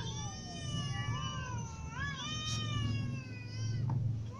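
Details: Hungry cats, a ginger cat among little and adult cats, meowing; drawn-out, gently wavering meows with a rising-falling bend near the middle, over a steady low rumble and a brief clatter.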